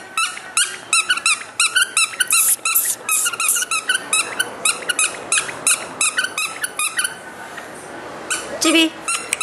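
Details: A male Maltese born January 2012 gives quick, high-pitched yapping barks in rapid bursts, with a person talking over them.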